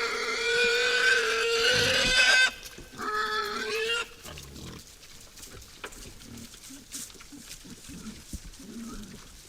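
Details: Wild boars at a forest feeder at night give intense, high harmonic squealing for about four seconds, then quieter snuffling grunts and rustling follow.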